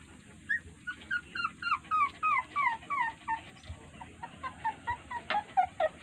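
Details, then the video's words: Puppies crying while their mother dog ignores them, perhaps tired or unwilling to feed; rapid series of high, falling whimpers, about three or four per second, steady through the recording over a low background hum. "A Heart Breaking Reaction Of A Puppy When Mother Dog Ignored Them || Crying Puppies"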